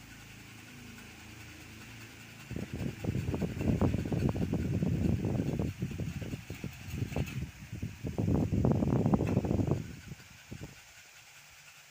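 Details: Motor noise with a steady fan-like hum, then loud rumbling bursts that surge and fade for about seven seconds before dropping back to a low background drone.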